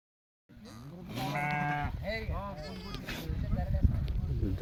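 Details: Sheep from a farm of 66 adults and 22 lambs bleating loudly after brief silence, a long quavering nasal cry followed by shorter wavering bleats, men's Telugu speech and farmyard murmur beneath.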